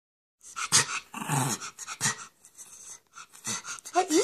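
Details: A spoiled male Schipperke gives his typical short, husky "cough bark" and low growls, with a person talking over him.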